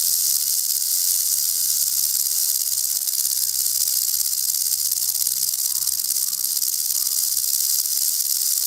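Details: Threatened venomous rattlesnake sounding its rattle to warn off predators, an even, sustained high-pitched dry buzz running without pause for nearly nine seconds, only a faint low hum beneath.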